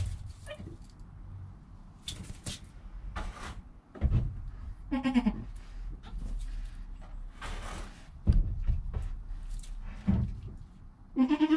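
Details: Newborn goat kid named Joel, within an hour of his birth, his calm mother Penny nearby, captured on a GoPro: two short, quavering bleats amid thumps, rustling and knocking sounds.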